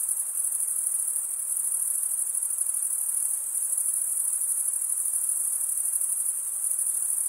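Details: Crickets chirping, a sound produced by stridulation: a steady, high-pitched shimmering trill held without pause, with faint soft background hiss underneath.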